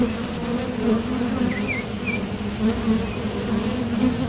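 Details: Low, even humming of honeybees at a Top Bar Hive entrance as they head out for nectar or land back, with brief high bird twitters in the distance.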